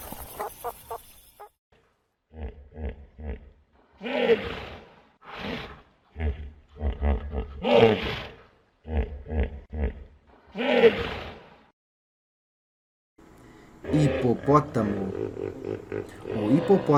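Hippopotamus roars come as a chain of deep, pulsing grunts, each burst resonant and honking, rising to louder bellowed peaks. After a short pause, a final rough, wheezing chorus of grunts follows.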